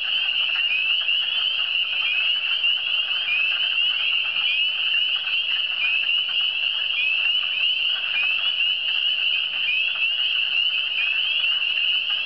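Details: Massed frog chorus from the Eastern Townships, many high piping upslurred notes overlapping without pause into a constant, even, shrill drone, with faint softer calls beneath and nothing else clearly heard.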